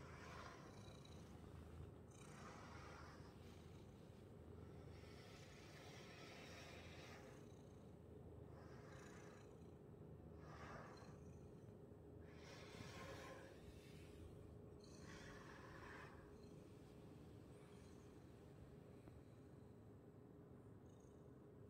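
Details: Domestic cat purring while being brushed: a steady low rumble runs throughout, overlaid by soft broadband swishing brush strokes every two to three seconds, with a faint constant hum in the background.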